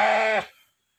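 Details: A large local-type sheep, the biggest in its village at about 90 kg and kept for natural stud mating, gives one short, steady, harmonic bleat lasting under half a second before falling silent.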